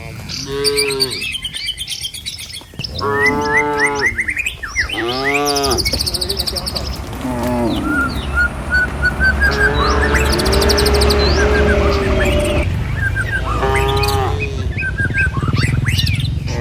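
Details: Herd of cattle driven along a village road toward their pen, among trees and rice fields. Several drawn-out, falling moos come in the first seconds, then a longer lowing stretch and one more moo near the end, with bird chirps above.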